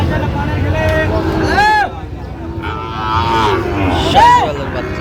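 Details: Sahiwal bull calves at Raniganj cattle market, Gazipur, on 7 August 2025: two drawn-out, arching harmonic bawls, the first near the middle and the second near the end, over crowd chatter, bargaining voices and vehicle noise.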